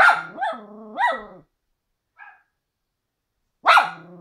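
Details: Mini schnauzer upset by footage of a frightened Doberman: two rising, nasal whine-howls in quick succession, a faint squeak, a pause, then one loud sharp yelp.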